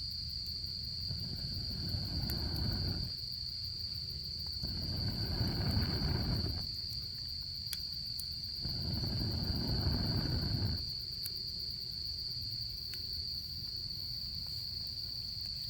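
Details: Autumn insects trill steadily and high-pitched next to a campfire in camping season, while three low rushing swells of noise rise and fall beneath them and scattered crackles pop from the fire.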